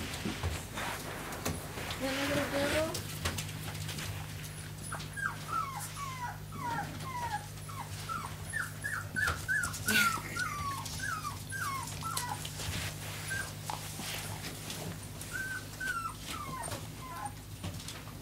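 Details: Four-week-old American Staffordshire Terrier puppies, just woken up indoors, give a run of short high whimpers and squeaks, several per second from about five to sixteen seconds, with a person talking and low steady hum behind.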